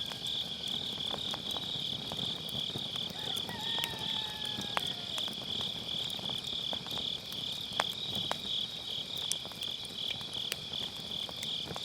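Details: Autumn-night grass insects trilling in a continuous high, pulsing chorus near a campfire, the even insect shimmer overlaid by scattered crackles of burning logs and a faint gliding whistle-like tone.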